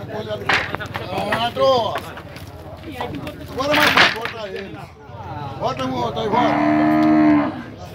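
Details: Nelore cattle unloaded into the corral at a cattle fair in Tabira, Pernambuco, Brazil, give a run of loud moos, a few short ones early on and then a long, steady bellow near the end, over background pen noise.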